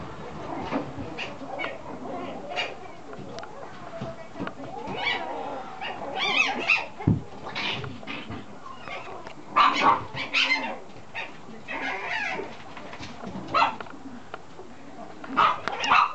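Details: Male red Toy Poodle puppy, 50 days old, born 18 August 2014, recorded 7 October in Chiba, Japan; scattered short high yips and whimpers spread through the recording, mixed with human voices talking nearby.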